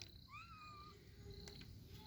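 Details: A domestic kitten with its mother gives one thin, high meow. It rises briefly, then holds steady and fades over about half a second. A faint background hiss and a few soft rustles follow.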